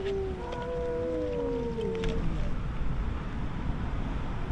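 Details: Confrontation between an intruder cat and the biggest cat of a stray colony near old house ruins; a low, drawn-out yowl sliding downward for about two seconds, then steady low outdoor rumble.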